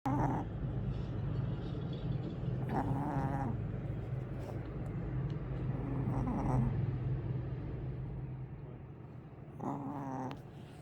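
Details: Willow the cat snores while sleeping, described as snoring like a big dog; rasping harmonic snores come roughly every three seconds over a steady low hum.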